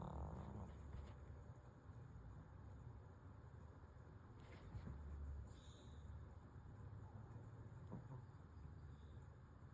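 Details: Pomeranian called Kuuta in deep sleep, snoring: low rumbling breaths with long soft rasping stretches and a brief higher wheeze at the opening.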